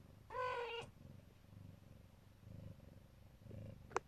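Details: Neva Masquerade, a Siberian cat, as a mother guarding her babies: a brief harmonic mew opens, then soft low purring comes in separate breathy bursts, ending with a sharp short squeak.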